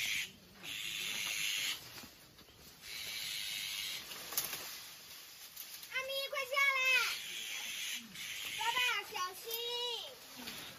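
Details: Kitten stuck up a tree after raiding a bird's nest, pecked by a big bird and crying: two bursts of clear harmonic meows, each rising then falling, among people talking, over a steady high insect-like hiss.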